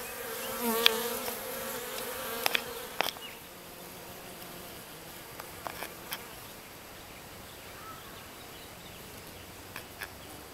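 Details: Western honey bee workers clustered outside the cage of a virgin queen, unable to get in; a steady buzzing hum with a brighter burst in the first three seconds, then a softer drone with scattered clicks.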